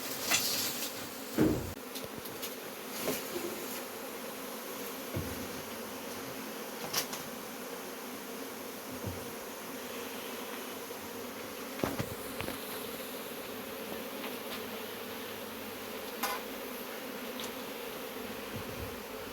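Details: Honey bees droning steadily while their hive is being removed, a dense low hum with higher overtones throughout, broken by occasional sharp knocks and clatter from the removal work.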